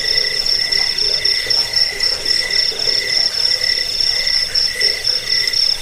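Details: Crickets in a track intended to repel rats and help with sleep, giving piercing high trills in rapid pulses, about four a second, over a lower repeated chirp.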